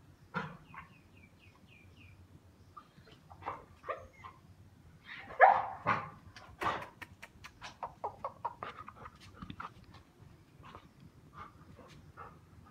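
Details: English Pointer dog barking and yelping in irregular bursts, some sharp loud barks mid-sequence and softer whimpering yelps between, over a low steady background rumble.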